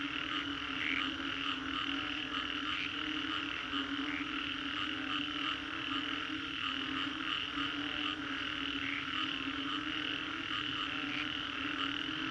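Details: A mass of frogs in Singapore's Green Corridor calls after a storm, producing a steady, grating, pulsating chorus with faint regular beats among overlapping croaks, backed by a continuous low hum.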